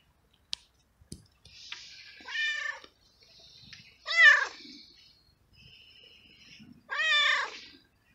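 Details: Abandoned male street cat in heat, cared for and fed by a person, meowing loudly for a female and for food in a garden: three strong harmonic meows about two seconds apart, each rising then falling, with quieter short meows and clicks between.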